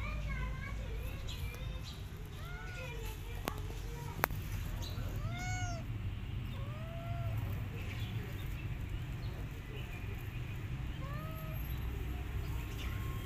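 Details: Rescued mother cat and her kittens together, giving a run of short, arched meows, some high and thin, some lower, scattered across the stretch, with a steady low hum underneath.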